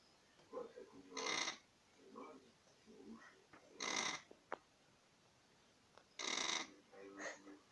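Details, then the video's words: Dog asleep and snoring: three strong breathy, hissing snores roughly two and a half seconds apart, separated by quieter wheezy, rattling breaths and a faint click. "Слышали как храпит собака"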